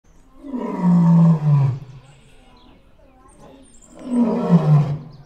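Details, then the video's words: A white male lion at Paradise Wildlife Park gives two deep, full-throated roars, each a low groaning swell that fades away. "The full throated roar of a lion"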